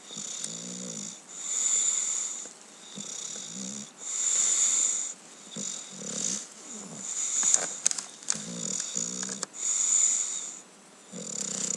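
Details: An English Bulldog snoring in its sleep, with loud, wheezy, rasping breaths every two to three seconds.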